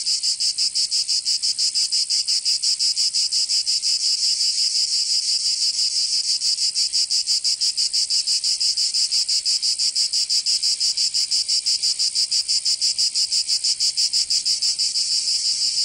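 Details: In Provence, southern France, cicadas sing through a summer day: a continuous piercing buzz throbbing in fast, very regular pulses for the whole stretch, without other animals or noise.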